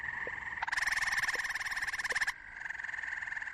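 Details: Male frogs, a species related to the local chorus frog, calling to attract females: a rapid pulsed trill repeated quickly for about two seconds, then a fainter, steadier pulsed call continues.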